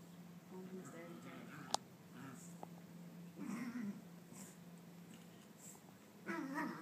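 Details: Young female Maltese, about nine months old, indoors chasing her own tail after a bath; short throaty growls with wavering pitch come in two bursts amid quiet room noise and a sharp click.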